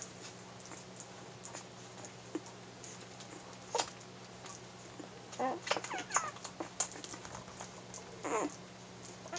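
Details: One-week-old Airedale Terrier puppies in a litter, active while nursing from their mother. Thin, high, bending squeaks and whimpers cluster near the middle, short and soft, over a steady low electrical hum.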